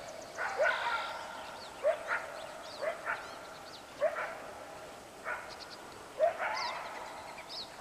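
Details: Morning coyotes along the West Walker River bark in short, sharp, irregularly spaced bursts, some paired closely, while small birds chirp faintly in the background.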